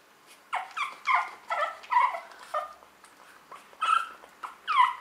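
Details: Tiny pug puppy of 600 grams chowing down during a feeding; a rapid run of squeaky, nasal whines and squeals, about one every half second, with a brief pause midway.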